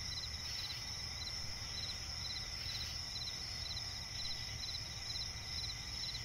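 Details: Crickets chirping at night in a swampy forest: a dense layered chorus of high, steady trills with short pulsed chirps repeating in quick bursts, over a constant low rumbling background hum.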